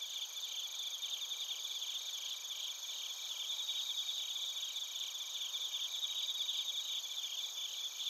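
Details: Singing crickets, bell crickets among them, in Narita, Chiba Prefecture, Japan: rapid, bright pulsed chirps about two to three per second layered over a high continuous buzzing ring from many insects, captured on a TASCAM Portacapture X8.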